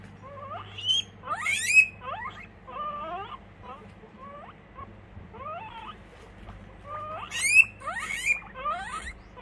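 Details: Pet guinea pig wheeking in the morning. Bright, sharply rising squeals come in two bursts, with quieter chirping notes between them, over a low steady hum.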